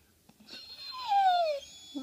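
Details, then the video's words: Bullitt, a Staffordshire Bull Terrier, cries because he is not allowed a sweet potato fry: a single drawn-out whine that slides slowly downward over about half a second, with faint room noise before it. "Pit bull cries over sweet potato fries"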